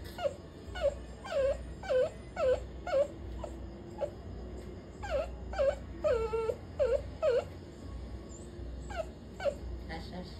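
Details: Scolded puppy whining: a long run of short, falling, nasal whimpers, roughly two a second in bursts, some longer wavering moans, with a pause in the middle, over a faint low background hum.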